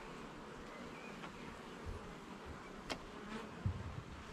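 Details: A dense, even buzz rises from a garden bee hive during an inspection of its frames. Occasional soft thumps come from the work, and no talking is heard.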